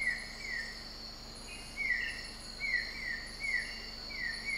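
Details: Broad-headed frog, Sabah, Malaysia (Borneo), calling with short swept chirps repeated at irregular intervals, about once every second, while high steady insect buzzing continues throughout.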